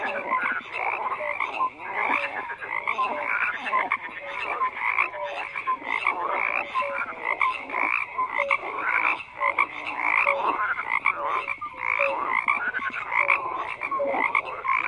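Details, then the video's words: Dense chorus of frogs croaking without pause, overlapping pulsed croaks and short tonal notes repeating rapidly, thick and continuous with no other sounds. "FROGS CROAKING"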